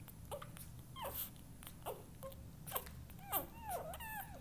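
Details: Newborn Vizsla puppies feeding, giving high squeaky whimpers and wavering whines that grow more frequent toward the end, over a low background rumble of suckling and movement.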